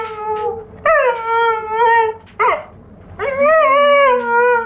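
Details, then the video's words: Howling from a Giant Schnauzer puppy aged four months: sustained, slightly wavering notes with a brief yelp in the middle, then a long steady howl to the end. "Giant Schnauzer puppy 4 months old - howling"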